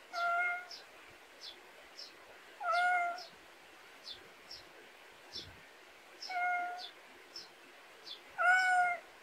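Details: Countryside-born pet cat in a rural Korean yard gives four clear meows, each around half a second long and spaced two to four seconds apart, while quick high-pitched chirps tick steadily in the background.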